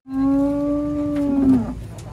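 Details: Huge cattle being unloaded from trucks: one long, steady, low moo held for nearly two seconds and fading at the end.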